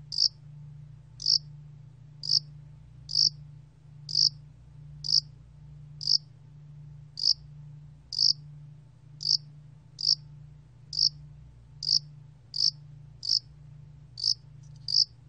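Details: A Korean field cricket species (야산알락귀뚜라미) gives short, bright chirps about once a second, steady and evenly spaced; cricket.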